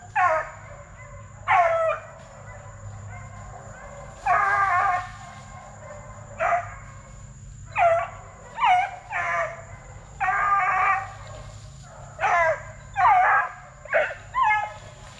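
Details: Young Plott Tans, Plott hound by black and tan coonhound crosses bred from good deer track dogs, 8 weeks to 5 months: separate bursts of bawling, sliding bays come in small groups with quiet gaps of one to two seconds.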